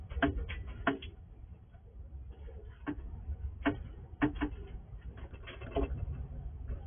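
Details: Wild squirrel eating in darkness at a house at night, recorded with night vision; crisp crunching snaps every second or so, separated by quieter nibbling, over faint low background noise.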